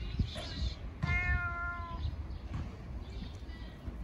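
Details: Hungry fat ginger cat giving one long, loud, steady meow lasting about a second, rich in harmonics, asking for food; low background rumble and a faint thump before it.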